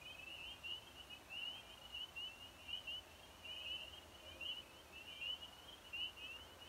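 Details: Spring peepers, small frogs of the eastern United States, calling in spring give high, clear, slightly rising peeps, repeated quickly and overlapping in a steady chorus.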